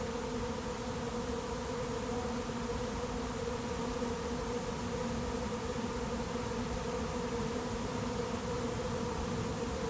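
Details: Late-season honey bee swarm moving into an empty, unprepared hive: a dense, steady droning hum with a strong tone near the middle register, unbroken throughout, with faint low rumble beneath.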